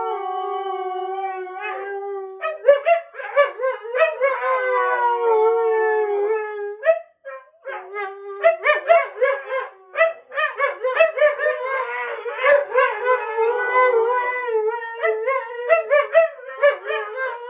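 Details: Two Siberian Huskies howl, each trying to get the last word: a sustained, mournful howl slides gently downward, then breaks into short, uneven yips, grumbling bursts and talkative warbles.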